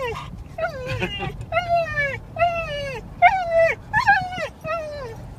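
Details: Excited dog Akira, heading to the beach to play with her friends, whines over and over: about seven high, nasal whimpers in quick succession, each sliding downward, with a low engine hum beneath and brief human speech.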